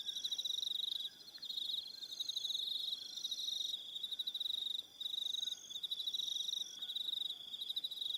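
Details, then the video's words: New Zealand evening on Aroha Island with crickets calling: fast high-pitched pulsed chirps in repeated bursts, brief pauses between them, several insects overlapping, and a faint lower whistled note now and then. "Evening Sound of Crickets"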